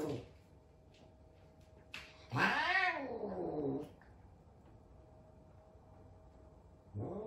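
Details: Large F2 Savannah cat indoors, frightened of a little kitten at their first meeting, letting out a drawn-out arching yowl that rises then falls over about one and a half seconds, with another starting at the end.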